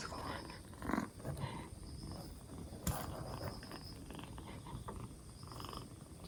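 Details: Rescued two-month-old black Bombay kitten on its fourth day after rescue, recovering from a cold with its cough gone, purring in a steady low rumble, with a few soft clicks and faint repeated high tones behind it.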